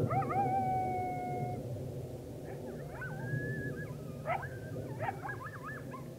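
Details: Coyote chorus under a rising full moon on October 9, 2022: a long steady howl opens, then wavering, quavering howls and sharp yips overlap, several voices at once, above a constant low rumble.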